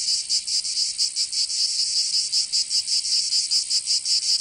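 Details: In the summer heat of Provence, southern France, cicadas produce a shrill, grating buzz broken into quick repeated pulses, a little irregular, over a quiet background.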